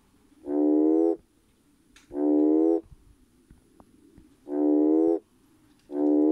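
A red toad's mating call: a steady, buzzy, nasal hum with a rich tone, each note lasting under a second. The croaks repeat at an even pace, roughly every one and a half to two seconds, with quiet between.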